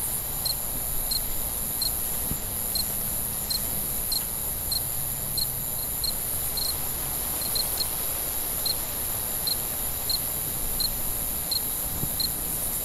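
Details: Nighttime cricket chirps, crisp high pulses repeating about every half second with a few closer pairs, over a steady high hiss and faint low hum, with a couple of soft knocks.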